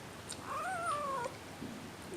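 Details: Hungry 5-week-old Seal Point Himalayan kitten Madeline Rose, a spoiled only kitten from her litter, lets out a clear plaintive meow indoors, rising then sliding down over most of a second. A softer low cry follows in a quiet room.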